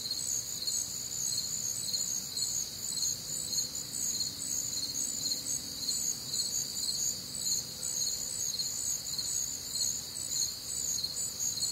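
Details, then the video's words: Crickets and other night insects on a humid Midwestern summer evening, their high chirps pulsing roughly twice per second in a steady, dense chorus with several overlapping voices. "Night Time Cricket Sounds"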